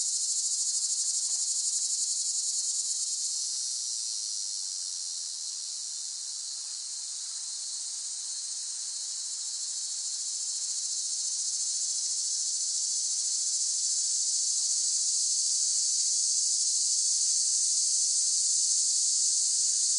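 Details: Unbroken, piercing cicada buzz, softening slightly in the middle before strengthening again, steady and sustained with no other noises.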